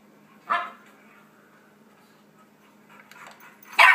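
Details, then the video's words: Yorkshire Terrier puppy, four months old, reacting to dog barks played on a computer at home: two sharp, high yaps separated by a quiet stretch with faint softer barking. "Yorkie Barking At Computer"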